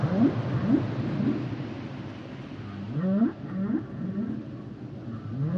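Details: Singing humpback whales give a series of short rising low whoops and upswept moans, clustered in two bursts, backed by a continuous low underwater hum.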